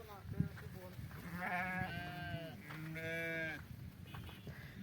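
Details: Sheep at milking bleat in a run of overlapping, wavering cries of varying pitch, some low and drawn out, others higher, over a low background hum.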